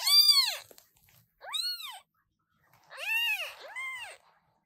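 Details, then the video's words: Loud meowing from newborn British Shorthair kittens: four high, arching cries with rich overtones, the first loudest, then a pause and two overlapping calls near the end. "New kittens meowing very loudly!!!"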